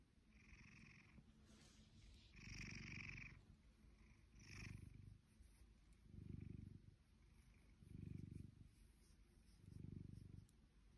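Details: A blue British Shorthair cat, almost 2 years old, lazing, purrs steadily, the low rumble swelling in slow pulses about every two seconds.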